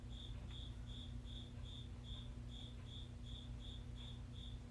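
A cricket chirps steadily, short high pulses repeating about three times a second to attract a mate.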